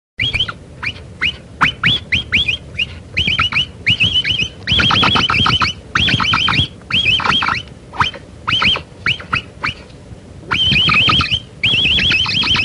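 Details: Capybara calls that draw the animal closer when played: bursts of rapid, harmonic chirps, each note dipping and rising, packed into short phrases separated by brief pauses, with a low rumbling background beneath.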